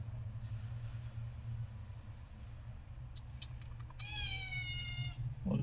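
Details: Cat in Kerala, India, that had hidden its kittens indoors. Two are found. A single high, thin, harmonic meow lasts about a second and falls slightly in pitch. It follows a few sharp taps and clicks, with a steady low hum underneath.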